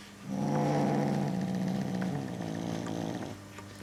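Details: Bengal kitten stubbornly guarding a toy it treats as prey, refusing to let go; a steady low rumbling growl with a buzzy, pulsing texture lasts about three seconds before stopping abruptly.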